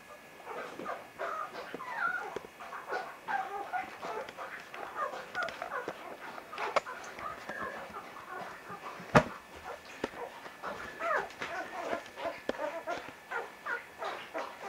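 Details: A litter of Vizsla pups from Batai, filmed on 10 January 2013, keeps up an almost continuous chorus of thin whimpers and squeals. Many small voices overlap, with a few sharper yelps and one loud click partway through.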